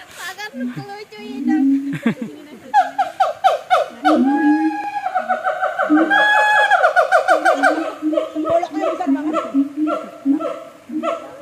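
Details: Siamang at a zoo in North Lombok, with scattered rough noises at first, then a fast series of bright, ringing, up-swept hoots that speed up and tail off into choppy notes.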